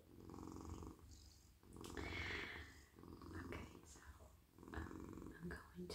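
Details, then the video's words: Friendly, soft male house cat being petted on a lap, purring contentedly; continuous deep, even rumble with bursts of fur-stroking swishes and gentle rustling on top. "Cosy cat purring"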